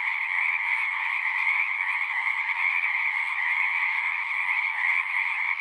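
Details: Frogs at a pond in a horse pasture, recorded with a Zoom 6, produce a constant massed chorus of high trills in two bands, gently swelling and dipping, with a quiet background and no birds or people.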